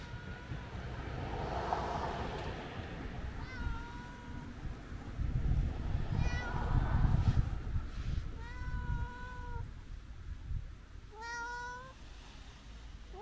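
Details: Kiji-shiro (tabby-and-white) cat, a chatty, affectionate outdoor cat greeted on a New Year visit, gives several short tonal meows spaced a few seconds apart, amid outdoor rustling and soft human voices.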